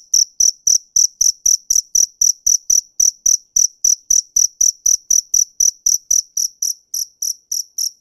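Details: A cricket chirps loudly and rhythmically, around four high pulses a second, over soft low tapping noises in the background.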